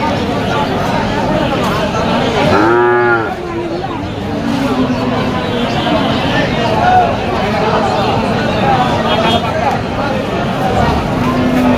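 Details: Cattle at a big bull market in Moukhra on 31 August 2025: a single deep, drawn-out moo lasting about a second rises out of constant crowd chatter and busy market noise.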